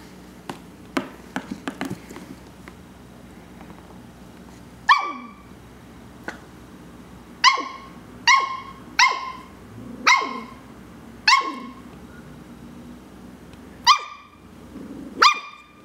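A young Shetland sheepdog barks in short, high-pitched yaps, each bright and quickly cut off. The barks come singly or in quick pairs with uneven gaps, after a few faint clicks and knocks at the start.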